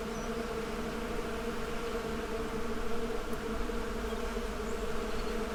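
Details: Bees buzzing together in a steady, dense droning hum with strong low tones, holding even and unbroken throughout, with no other sounds standing out.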